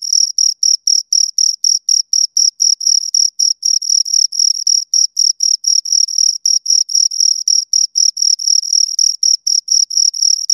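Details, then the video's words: Two crickets chirping in a close recording: high, pure chirps repeated rapidly and steadily, about four per second, with a fainter higher overtone band and no other sounds. "Two Crickets Chirp Sounds for Two Hours Right on Your Ears"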